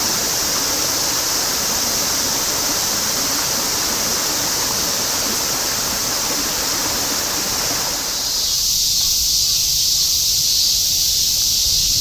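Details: A dense summer chorus of cicadas in Shinjuku, Tokyo, in 2016 forms a steady, high, hissing buzz with no breaks.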